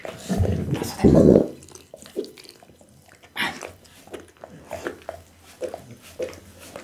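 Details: Pit bull named Bounce eating a raw-food meal of boiled loach, tuna blood meat, beef kidney, lamb spine and horse meat indoors; wet crunching and smacking bites come in irregular bursts, with a loud low thud near the start, in a small room.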